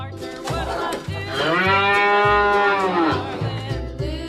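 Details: Cow giving one long, drawn-out moo that swells and fades over about two seconds, set against a rhythmic music backing with steady low beats.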